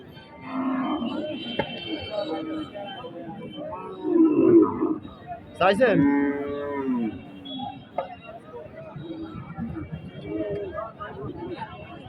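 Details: Cattle at a Qurbani cattle market, moo amid a crowd. Several drawn-out lowing calls rise and fall, the loudest around four and six seconds, over steady chatter of people talking nearby.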